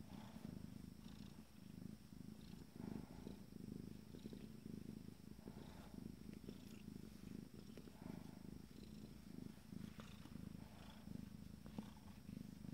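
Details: Abyssinian kittens, 14 days old, from a first litter, purring during a moment of pleasure; a steady, low, pulsing rumble runs throughout with a soft rhythmic rise and fall and no other sounds.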